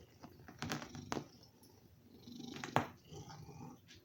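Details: A male domestic cat purrs loudly, a low rumbling vibration described as snoring, while begging for food.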